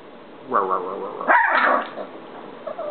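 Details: Pet dog prompted by its owner to speak, answering with two drawn-out, talking-like vocal sounds: a wavering moan, then a louder, higher, rising-and-falling yowl, with a quiet room background.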